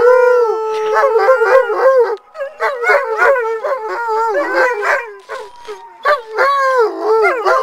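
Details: Several Alaskan Malamutes (Canis lupus familiaris) howl together in answer to a siren, their wavering, overlapping voices rising and falling.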